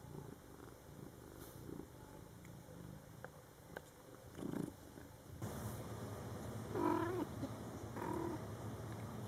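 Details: Mother cat with her Scottish Fold kittens, born July 22, 2012, in their first month, indoors; low rumbling purr-like sound at first, then two short harmonic meows, the first rising and falling, about a second apart near the end.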